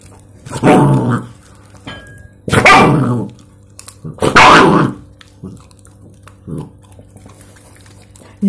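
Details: Mixed-breed puppy, described as very angry, barking indoors: three loud, harsh barks about two seconds apart, then softer yips and whimpers, with a person's voice scolding nearby.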